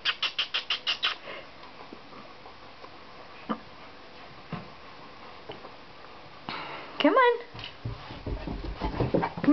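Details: Five-and-a-half-week-old German Shepherd puppy climbing down a flight of stairs indoors; quick rhythmic tapping early on, then one sharp, high whimper sliding steeply downward near the end, with a person calling encouragement.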